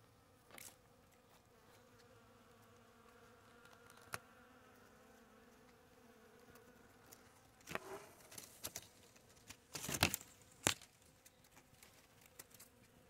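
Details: Bees buzzing around blooming palm tree flowers; soft steady low hum with faint tonal bands throughout, broken by sharp clicks and short rustling bursts near the middle and end.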